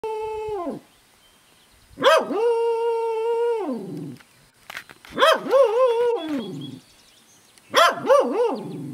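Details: A female Welsh Corgi, bemused by a new barn kitten, gives three drawn-out, wavering howls, each rising then sliding down in a yodelling wobble.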